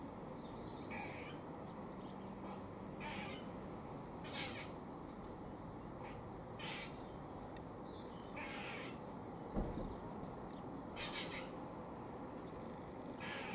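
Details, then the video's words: Feeding squirrel in Cambridge, UK, recorded 17 October 2020, sounding a warning: harsh, scratchy barks repeated irregularly every one to two seconds. There is one sharp knock near the middle, against steady low background noise. "Funny Squirrel makes warning noise while eating"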